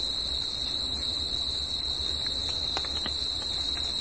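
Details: A continuous, shrill cricket trill at night holds one high pitch with a fainter overtone above it, never pausing; a few soft clicks and ticks near the end over a low background hum.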